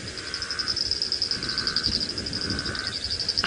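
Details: Chorus of many frogs at sunset after an afternoon of threatened bad weather in the Sabi Sand, Kruger area, South Africa, 20 October 2017: steady high trilling with lower pulsed notes, many frogs calling at once.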